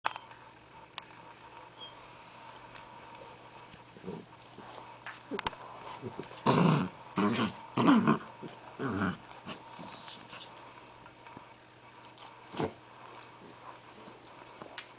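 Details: Two pet Dachshunds squeezed together inside an igloo making weird gremlin-like noises: a cluster of low, rough grunting growls around the middle, several short bursts in quick succession, with quieter scuffling before and after.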